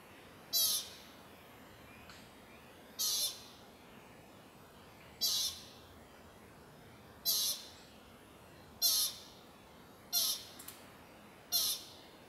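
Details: American pika calling at sunset near the Carpenter Mountain fire lookout, H.J. Andrews Forest, Oregon, USA: short, sharp, high squeaky bleats, one every one to two and a half seconds, seven in all, over a steady soft background hiss.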